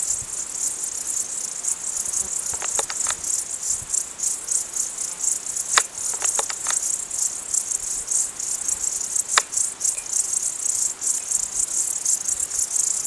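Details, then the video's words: Mountain crickets chirping in a continuous high, rapid pulsed trill with regular bursts, joined by a few sharp clicks or taps. "Sounds Of Nature - Crickets"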